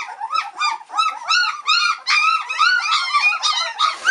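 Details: Three-week-old White Swiss Shepherd puppies, several together, impatiently waiting for their mother Cova to return for a feed; overlapping high, arched whines and yelps repeat rapidly, about two or three per second, in a chorus with no other sounds.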